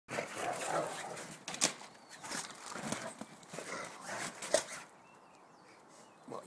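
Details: Rottweiler arguing back, giving rough, grumbling vocal bursts over about five seconds. The bursts come in uneven clusters and fade to near quiet at the end, with a person speaking to the dog nearby.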